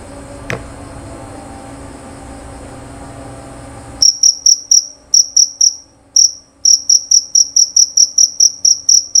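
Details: Male jerabang cricket, kept for its loud, clear voice. A faint hum and one sharp click come first, then high, piercing chirps begin midway and repeat about three to four times a second with brief irregular gaps.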